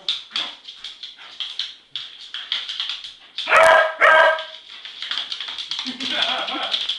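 A beagle lets out a pair of loud, harmonic howls, each held for about half a second, rich and slightly hoarse. Softer chatter and a person's voice come before and after them.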